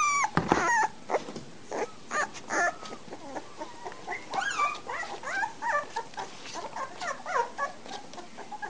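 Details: Litter of American Bulldog puppies aged three weeks, filmed 27 March 2008: a few sharp yelps open, followed by a busy chorus of short squeaky whimpers and rising cries from several pups, with light knocking noises throughout.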